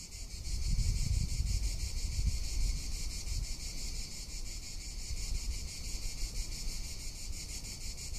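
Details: Summer cicada chorus in Tuscany, an unbroken high-pitched sizzling buzz with quick regular pulses, steady in strength, while deep wind noise swells early and then settles into a lower rumble.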